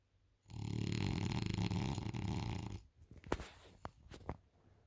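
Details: French Bulldog Isla asleep on a couch: a sustained, coarse, throaty snore of over two seconds, then several brief clicking snuffles and lip smacks.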